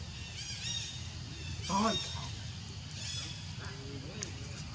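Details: Baby monkey Leo crying to beg its mother for milk: three or four short, shrill, wavering squeals spaced about a second apart, with lower whimpering notes between and a steady low rumble underneath.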